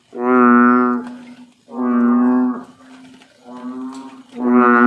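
Low, resonant bellows from an American bullfrog come one after another, each lasting a little over a second. The rich, humming tone sounds remarkably like a lowing cow.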